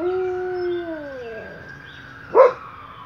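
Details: Household dog, usually heard howling at night, caught howling by day; a smooth sustained howl slowly sliding lower and fading, followed by a single short sharp yelp.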